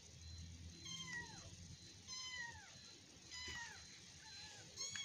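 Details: Kittens play-fighting, a domestic cat litter wrestling and tumbling: three clear, high descending meows about a second apart, each sliding downward, with soft low rumbling and faint background noise.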